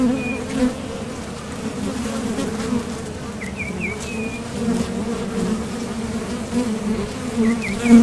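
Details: Honeybees leaving and landing at a top bar hive entrance while foraging for nectar: a constant low buzzing hum, with a few quick bird chirps in the background.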